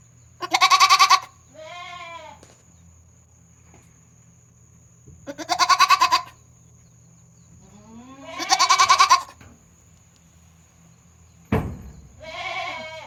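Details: Goat kid poking its head out and giving an odd call on a farm, 22 June 2022: four loud, harsh, vibrating bleats spaced several seconds apart, a softer nasal bleat after the first, and a sharp knock near the end.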